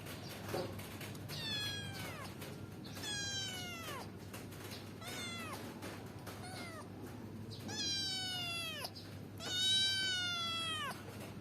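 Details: Kitten climbing a window to get outside and play, meowing repeatedly: six drawn-out, falling meows, some short and some long and strained, spaced a second or two apart over a faint background.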